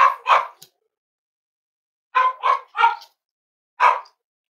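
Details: Indoors with snuggling Cavalier King Charles Spaniel pups raised as emotional support animals, on a warm Friday morning: sharp yappy barks come in quick pairs and a triple, then a final single bark after a pause.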